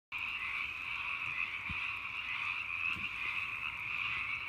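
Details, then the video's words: Hundreds of frogs croaking together at night, merging into a dense, unbroken chorus: a steady, shimmering drone of overlapping trilled croaks at two layered pitches, holding constant throughout with slight swells, no other clear sounds. "Hundreds of croaking frogs in the night"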